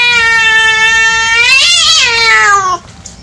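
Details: A playful cat lets out one loud, long meow, held steady and then bending upward and down in a wavering peak before cutting off, leaving faint room noise.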